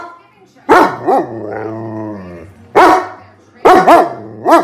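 A German Shepherd gives loud, sharp barks in irregular pairs, with a drawn-out whining tone between them.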